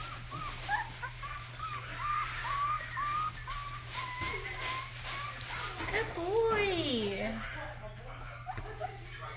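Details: Young Rottweiler puppy giving its first barks: a string of high, bent yips repeated steadily, then a long falling whimper that slides down and trails off, with a low steady hum behind.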